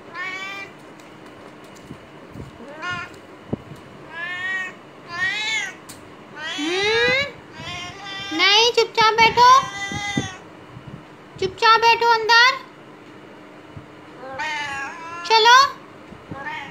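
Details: Female domestic cat kept in a cage during aftercare on day 17 after neutering, told to sit patiently; repeated meows, some rising then falling, in irregular bursts, with a woman speaking Hindi between them.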